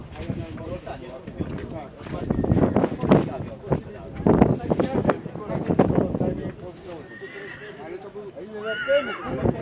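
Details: Polish PKZ breed stallion born 2019 giving short, wavering harmonic whinnies near the end, after several seconds of loud thuds, hoof clatter and people talking.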